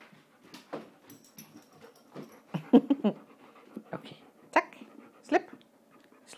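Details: Tulle, a female pet dog, pants during play with her ball: quick breathy puffs come in irregular bursts, a few stronger huffs clustered together, with soft words spoken nearby.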